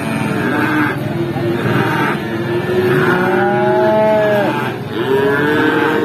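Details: Cattle at the Pati cattle market in Indonesia sold as feeder stock. Several moos overlap, one rising and stretching out for over a second, amid a constant din of voices and engine noise.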